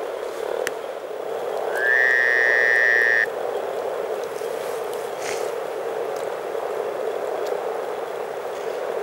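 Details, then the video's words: Chorus of over 300 frogs enjoying spring in Teisko, Pirkanmaa, Finland: a dense, continuous low bubbling murmur runs throughout without pause, while a brief steady whistle-like tone cuts in near the two-second mark. "Frogs from Finland"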